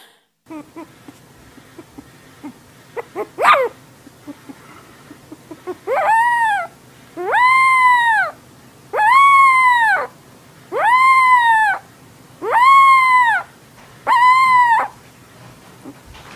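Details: Puppy voice in a rhythmic run of six arched, tonal yowls, each rising then falling, repeated about every 1.7 seconds after a few scattered clicks and squeaks.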